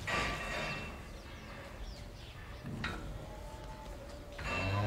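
A cow moos in a low, droning voice at the start and again at the end, amid barn clatter.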